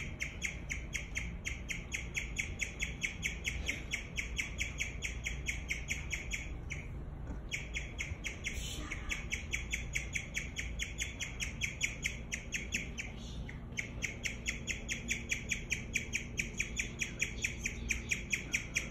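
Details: Long bout of guinea pig chirping, bright high notes repeated at a brisk, fairly even pace of over two per second, broken by a couple of short pauses and a faint rustle, with low background hum.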